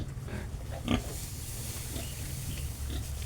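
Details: Domestic pig on a farm where a mother sow has just given birth again; short, rough grunting bursts, the loudest near the first second, over a steady low hum.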